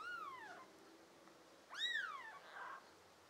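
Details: Two drawn-out, falling kitten meows from pet American Shorthair and tabby kittens of a litter of five, June 2022, the second louder and starting higher, with a soft rustle just after.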